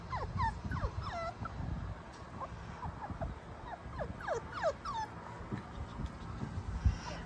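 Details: Star, a Basenji-Sheltie cross puppy, recently moved to a new home and settling in near the stairs: a run of short squeaky whines and yips, each swooping up or down, scattered across the recording with soft handling noises beneath.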